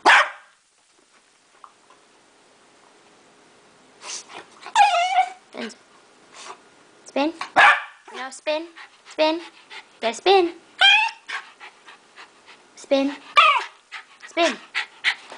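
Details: Dog on a couch "speaking" on command: a long run of grumbling, yowling barks and whines of varying pitch, broken into short bursts, while a person keeps saying "speak" and other words.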